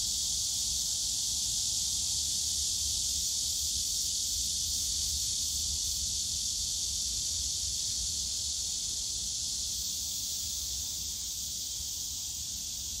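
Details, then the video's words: Cicadas in the bamboo grove of Yongsan Family Park on a summer day, a dense, unbroken high hiss of many insects droning together at a steady level throughout, with faint low rumble beneath. "용산가족공원 대나무숲 매미소리"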